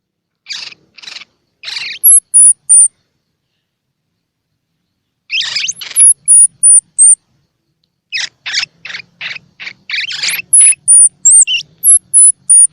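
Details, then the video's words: Baby squirrel calls used to stimulate young squirrels, with eyes open or still closed, to feed: bursts of scratchy high chirps in short groups, mixed with very high, thin whistled squeaks, separated by silent gaps. "Tiếng Kêu Của Sóc Baby Kích Thích Sóc Ăn | Sound of Baby Squirrel"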